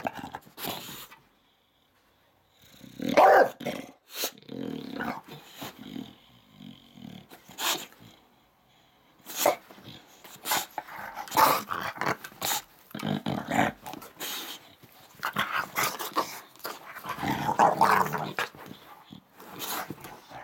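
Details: Upset English Bulldog Dixon throwing a tantrum: a dense run of short harsh growls, snorts and gruff bark-like grumbles, rapid and irregular, after a brief silence early on.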